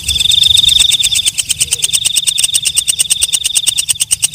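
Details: At night a walang kecek, or night grasshopper, opens with a brief shrill buzz that gives way to a steady string of sharp ticking pulses, several per second.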